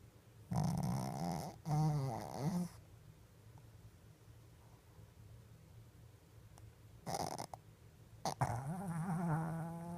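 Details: A Shih Tzu, fast asleep with eyes open, snores in deep, rasping, rumbling breaths with uneven pauses between them.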